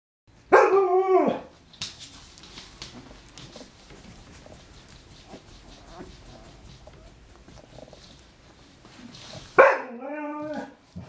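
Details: Twelve-day-old Alaskan Malamute pups, sleepy and content after a feed: a short, wavering, high whine near the start and a second one near the end, with soft rustling and shuffling between them.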